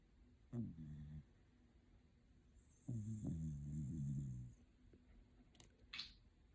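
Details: Shiba Inu sleeping comfortably, snoring in two low, rumbling bursts, a short one and then a longer drawn-out one about two seconds apart, with quiet indoor room tone between.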